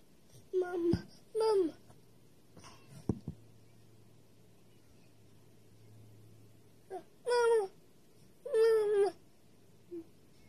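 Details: House cats indoors crying out after noticing a cat outside: a series of short, falling, strained meow-like bursts, several in quick succession early on, then two more after a pause.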